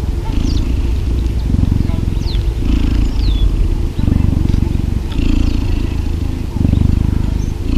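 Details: A cheetah purrs while being cuddled, a heavy, pulsing rumble broken into breath-length phrases, with brief high chirping sweeps and light rustles over the top.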